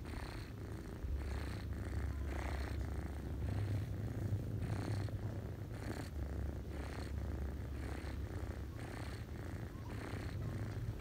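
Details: Deep continuous purring from a ginger cat nursing her kittens, the family lying on someone's lap in autumn; a rhythmic rumble swelling with each breath about twice per second, with no other sounds.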